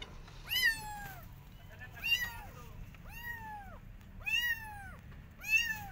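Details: Persian cat out walking in a garden with her adopted kittens, watching rabbits; five clear, arched meows, each rising then falling, repeated about every second, over a low steady rumble of background noise.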